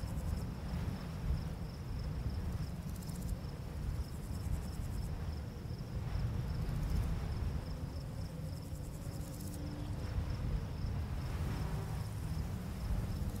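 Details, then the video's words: Chirping crickets at night in a summer barley field under a full moon: a high, rhythmic beaded trill persists, with several hissing bursts overhead, and the wind rustling through the grass forms a dense low rumble. "Crickets Chirping"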